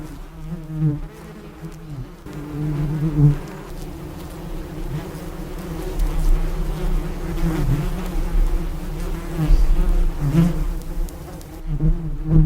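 A bee buzzes steadily, a low droning hum that swells and fades as it moves.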